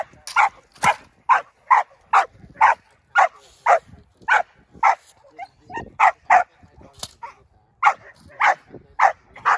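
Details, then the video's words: Six-month-old Belgian Malinois named Indi during bite work, barking in a steady rapid series, about two loud sharp barks per second for nearly ten seconds, with one brief pause midway and a quiet background. "Indi 6 month old Belgian malinois doing bite work"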